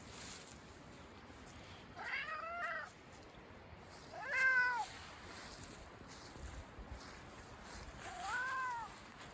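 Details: Cat in Minoo Park, Japan, recorded on 21 December 2023, meowing to ask for more food: three clear, drawn-out meows spaced about three seconds apart, each rising then falling, over a faint steady background hiss.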